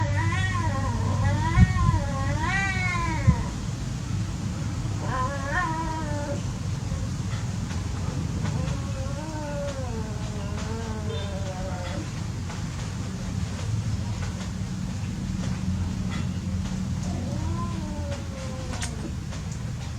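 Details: Cats playing, drawn-out wavering yowls with wobbling harmonic contours, several long warbling cries in the first half and softer drawn-out yowls later, over a steady low rumble of background noise.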